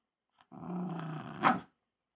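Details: Shiba Inu stubbornly guarding a ball it is obsessed with, giving a short low rumbling growl of about one second that ends in a sharper, louder snarl.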